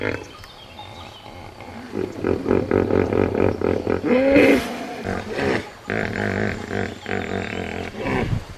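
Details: Hippopotamus giving a prolonged roar of rapid, rhythmic deep pulses like a chuckling bellow, rising in loudness midway then continuing in throaty bursts.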